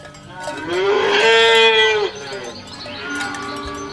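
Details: Healthy, well-fed cattle herded by a shepherd as they walk to the field in the morning; one long, rising moo swells and holds steady for about a second and a half, then cuts off, leaving faint rustling and farm background.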